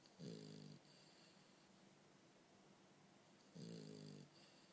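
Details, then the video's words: A sleeping French Bulldog named Bumble B snoring indoors: two low, harmonic snorts about three seconds apart, each lasting roughly half a second, with quiet breathing between. "Bumble B snore"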